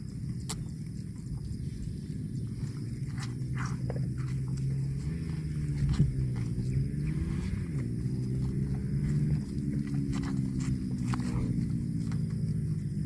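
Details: Cows lowing in a series of deep, wavering moos that bend up and down in pitch through the middle of the recording, with outdoor rumble and a few knocks.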